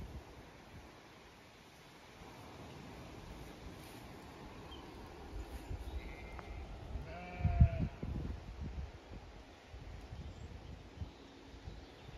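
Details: Zwartbles sheep, ewes with fast-growing lambs on a regenerative farm in County Kilkenny, Ireland, on a hot May day, some resting in shade, others grazing or going for water; one short wavering bleat rises over low rumbling and rustling.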